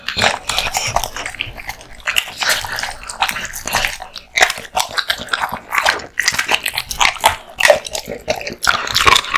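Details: Kotetsu, a male American Bully dog born 2016, eating a big raw meat and bone lunch: dense wet crunching and tearing bites, irregular clicks and smacks filling the clip without pause.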